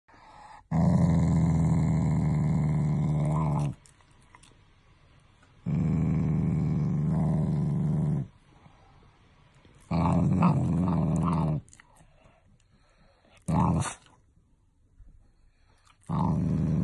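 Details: Shiba Inu, a family pet, growling as a show of affection rather than anger: deep, rumbling growls in long bursts of about three seconds, with pauses between them and a few shorter grumbles near the end.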